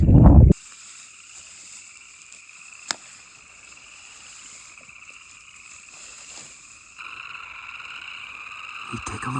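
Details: In April in a wetland in Grand Teton National Park, a colony of boreal chorus frogs, calling males with inflating vocal sacs, give overlapping rasping trills rising in pitch, like a thumb drawn across a comb, as a sign of spring. A brief thump opens the recording, and the chorus swells near the end.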